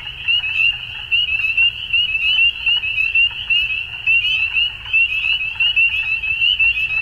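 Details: Frogs calling at dusk: a dense chorus of high, rapid trilled pulses on one steady pitch band, swelling into bursts about 72 times a minute, with faint lower rustling beneath.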